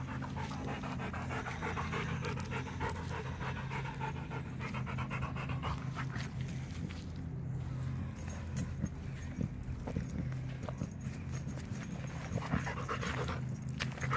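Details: Out on a walk, a Rottweiler pants hard and continuously, a quick run of rough, airy breaths held at an even pace throughout, with a constant low hum underneath.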